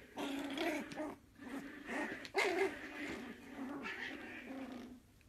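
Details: Jack Russell Terrier puppy wanting to play, giving continuous low rumbling growls broken by short pauses, with a sharper burst midway through.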